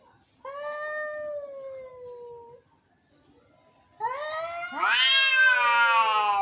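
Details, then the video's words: Angry cats meowing: a steady, tonal, slightly falling moan for two seconds, quiet, then a louder, harsher rising yowl that swells into a rough, strained wail. "Angry Cats.Meowing."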